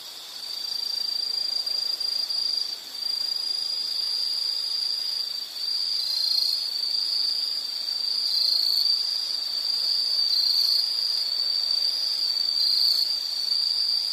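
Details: Insect calling in a relaxation nature recording, a continuous high shrill trill with a second overlapping caller joining midway, slightly wavering in pitch.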